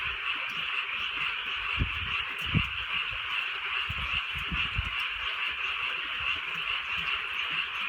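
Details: A steady chorus of frogs on a rainy rural night, a dense, pulsing wall of high rattling croaks, with a few louder low knocks and drips of rain.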